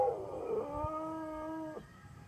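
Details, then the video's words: Siberian Husky howling along to an ice cream truck's tune in a neighbourhood: a steady, even-pitched howl held about one second, preceded by a rougher rising onset. "singing/howling to the Ice Cream Trucks tune"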